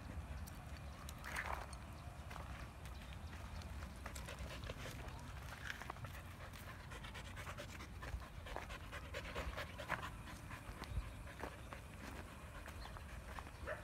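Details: Female husky dog panting while out on a walk in a village: soft breathy bursts repeating irregularly over a steady low rumble, with scattered brief crackles and rustles.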